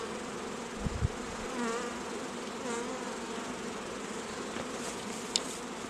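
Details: A dense, even drone of honey bees at an apiary raising queens, with a couple of bumps early on and a sharp click near the end.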